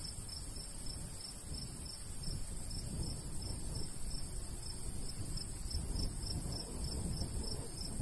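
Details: In the summertime countryside, crickets chirp in a golden wheat field while a light breeze gusts; quick high pulses repeat evenly above a fuller, rolling wind rumble.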